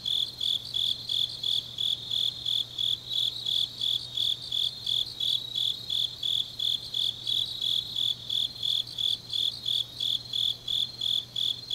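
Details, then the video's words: Autumn night chorus of grass insects in Changnyeong, South Korea: a shrill, rhythmic chirping repeated close to three times per second, steady and unbroken throughout. "깊은밤 가을 풀벌레 소리"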